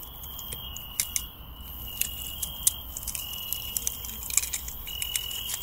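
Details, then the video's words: Cricket heard on a night walk in a garden: a steady high-pitched trilling chirp held in long sustained runs with brief gaps, accompanied by sharp clicks and rustling from handling nearby. "Searching for crickets"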